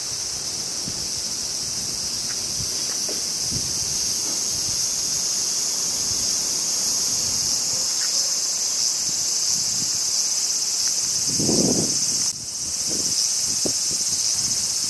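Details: Crickets on a summer day in Japan sustain a loud, bright high-pitched trill with a pulsing texture, dipping briefly partway through, while an occasional low wind gust and rustle sound beneath.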